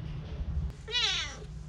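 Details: Newborn kitten, one of five just born, gives a single short mew about a second in. The mew is tonal, rising then falling, and lasts about half a second over a steady low hum.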